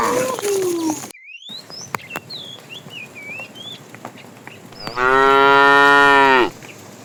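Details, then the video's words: Tame herd of cows driven toward pasture in the morning. A falling moo opens the recording. Later comes a louder, steady moo of about one and a half seconds. Birds chirp throughout in the background. "Funny cow sounds"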